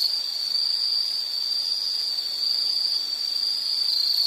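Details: Insects keep up a steady, high, shrill trill without any break, one even ringing tone that holds at the same pitch throughout, with a soft airy hiss beneath and no other animals or voices.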